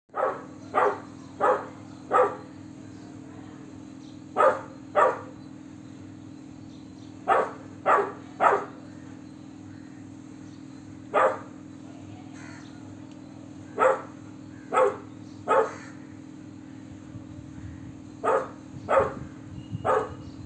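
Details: Golden Retriever puppy barking like an adult dog: about sixteen short, sharp barks in irregular clusters of two or three across twenty seconds, over a steady low hum.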